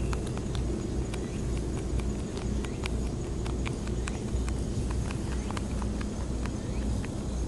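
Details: Wild rabbits on Okunoshima, the Rabbit Island in Takehara, Hiroshima, Japan, eagerly eating timothy hay given to them: crisp snapping, crunching bites in quick irregular bursts, several per second, over a steady low outdoor rumble.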